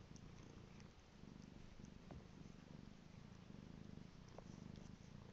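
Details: Domestic cat purring steadily indoors, a soft low rumbling throb continuing throughout with gentle rhythmic pulses, no other clear sounds.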